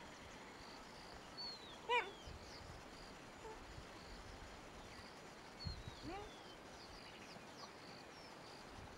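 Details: Cheetah barking in Kruger National Park, South Africa: one short, sharp, high call with a quick downward bend near the two-second mark. Steady outdoor hiss and faint bird whistles fill the background.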